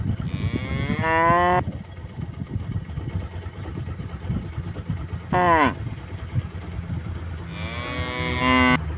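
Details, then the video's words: Tame cows out grazing alongside their calves: three drawn-out moos, a long one near the start, a brief sliding one mid-clip and another at the end, with a low rumbling background between calls. "the sound of cute tame cows grazing with their calves"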